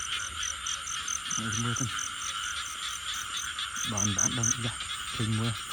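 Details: During a search for frogs, short groups of rapid, throaty croaks come in clusters near the start and again toward the end, over a constant shrill insect drone.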